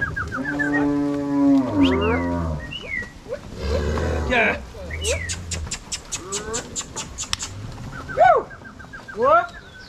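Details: Angus-Nelore cross cows herded by cowboys and dogs from corral to pasture in Ortigueira, Paraná; a long low moo opens, followed by a burst of sharp repeated clicks, scattered short cries and a brief noisy rush.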